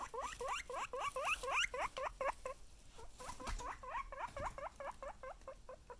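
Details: Chip the guinea pig squealing in fast bursts, each a short, bright, upswept whistle repeated about twice a second, two clear runs separated by a brief pause, with faint rustling underneath.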